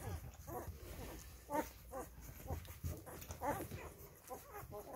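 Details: Five-day-old Rhodesian Ridgeback puppies give high, wavering squeaks and whines, scattered irregularly about every two seconds, with a low rumble underneath throughout.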